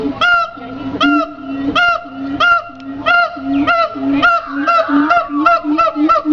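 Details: Siamang barking in a steady rhythm, about one and a half loud harmonic barks per second, each bark followed by a short low hoot, in a continuous, insistent sequence.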